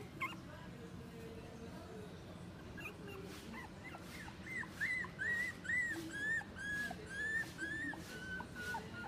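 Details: Half-breed dog at a pet shop, Inu no Ie Tenpaku branch: after a quiet start, a run of thin arched whines repeats roughly twice a second, each rising then falling, over a low constant indoor hum.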